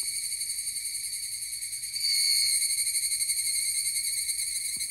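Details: Song of a higurashi cicada on Amami Ōshima: a high, ringing, finely pulsed buzz that grows louder about two seconds in and holds steady, with faint low rumble beneath.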